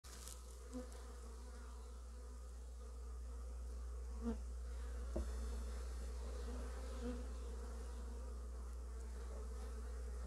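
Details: Western honey bees bringing early pollen into the hive buzz steadily, a low droning wing hum with brief louder passes as individuals fly close, filmed in slow motion.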